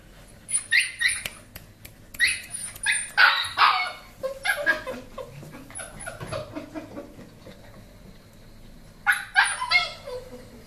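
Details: Labrador Retriever barking in short, sharp bursts, some clustered in quick runs and others spaced out, with higher yelping tones between; pauses of quieter background in between.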